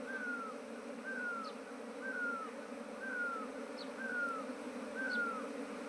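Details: Bees newly arrived at a beekeeper's trap box in Nepal, the year's nineteenth colony, give a steady low hum throughout; a descending whistled bird note repeats about once a second above it.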